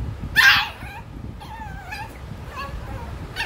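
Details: Male Shih Tzu puppy giving one sudden high yelp followed by a string of soft, wavering whines fading in and out, another short yelp at the end, with a person speaking nearby.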